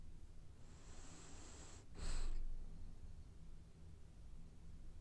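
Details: One drawn-out hissing snore from a sleeping, dreaming French Bulldog, ending in a louder snorting exhale, set against a faint steady low hum.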